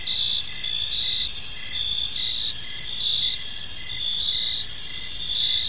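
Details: Park crickets at evening producing a bright, high, continuous trill punctuated by short regular chirps roughly every second, several insects together with little other sound.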